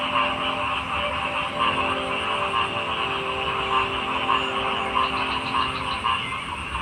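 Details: Frog chorus of pulsed croaks repeating about twice a second over a dense, continuous background of other calling frogs, with steady low droning tones underneath.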